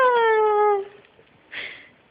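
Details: Akita puppy indoors at home, a drawn-out tonal whine that slides gently downward for under a second, then a brief breathy noise burst and the start of another whine; a woman's soft voice nearby.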